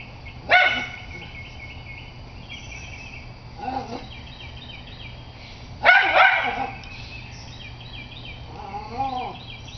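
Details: Schnauzer barking at a squirrel: two sharp, bright barks about five seconds apart, each followed by softer yips and whines, with a quiet wavering whine near the end.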